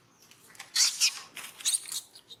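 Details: A young monkey at Angkor Wat Park, being disciplined by another monkey, cries with thin, shrill, squeaky squeals in two short clusters of rapid bursts, a sign of distress.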